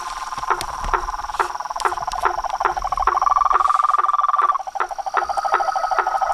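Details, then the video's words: Reservoir frog chorus at nightfall, with toads, frogs and tree frogs near a house veranda: quick knocking pulses about two per second mixed with a rattling mid-pitched trill that rises to a sustained burst midway, then drops back. "A SINFONIA DOS SAPOS, RÃS E PERERECAS"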